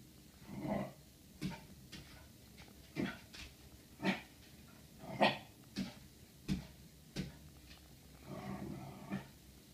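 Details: Murray, a Corgi, meeting its own reflection in a mirror indoors: a series of short, soft growly huffs and small barks, spaced about a second apart, with quiet grumbling between them.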